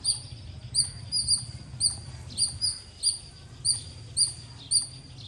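A squirrel gives sharp, high chirps in a steady series, about two each second.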